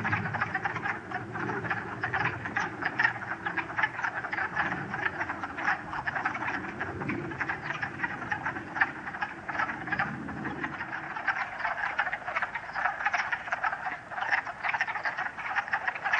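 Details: Many wood frogs chorusing on a sunny late-March day in 2013 at West Hill Dam, Uxbridge, Massachusetts; a steady mass of rapid clucking croaks from numerous males, with a low rumble fading after about eleven seconds.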